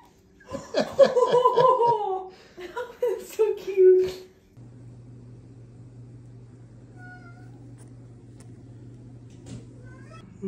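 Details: Kitten from a compilation of cute kittens giving a quick series of short, falling, tonal meows over about four seconds, some overlapping, followed by quiet room hum with faint clicks.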